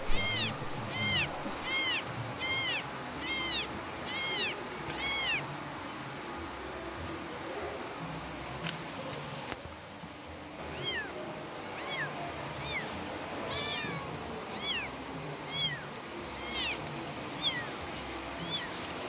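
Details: Kitten calling to its mother with a long series of high, thin, arching meows, rising then falling, about one every second, some closely doubled, over a steady background hiss.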